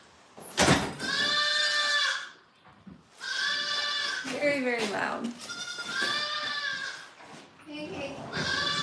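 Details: Goat at a farm in snowy, cold conditions, repeating loud, wavering, nasal bleats of about a second each, with a sharp knock at the start and a person speaking between cries.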